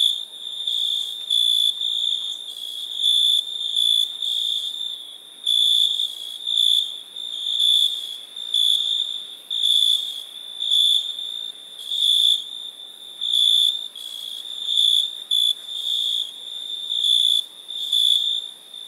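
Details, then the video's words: Crickets chirping in the night keep up a continuous run of high, whistle-like trilled pulses, roughly one to two each second, sometimes merging into longer buzzy stretches, with nothing else audible. "Relaxing Chirping Crickets"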